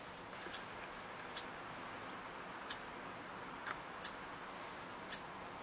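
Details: Red squirrels interacting at a bird hide in Eastern Canada: six short, sharp, very high squeaks spaced irregularly about a second apart over a faint steady hiss.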